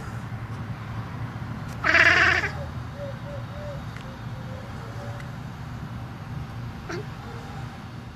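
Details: Male lynx hybrid cat reacting to a bird seen in his yard; one loud harsh burst, followed by a string of soft, short chirping notes over a steady low background hum.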